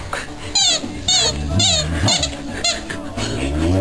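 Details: Sage, a female Boxer, 'talking' in a whining voice during play while her owner coaxes her to give up the ball. Drawn-out wavering whines rise and fall in several bursts, overlapped by the owner's voice.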